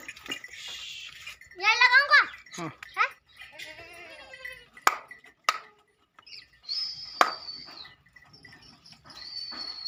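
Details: Mewati goats at a goat farm in Alwar; a loud quavering bleat rising and falling, followed by shorter bleats, mixed with people talking and clattering farm sounds.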